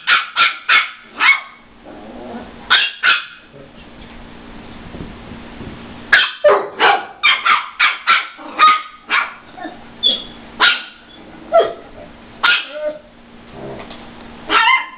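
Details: Barking during a squabble between a brindle Chihuahua and a Weimaraner over a stolen rawhide, barker unidentified. Rapid bursts of short, sharp barks in clusters, a quieter pause midway, then renewed volleys of yappy barks with faint growl-like undertones.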